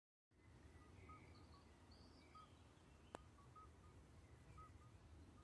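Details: Several common midwife toads call in daytime on the Schaelsberg near Valkenburg, South Limburg, Netherlands, unusual as they mostly call on warm dark evenings; short, pure, bell-like piping notes over a low background rumble.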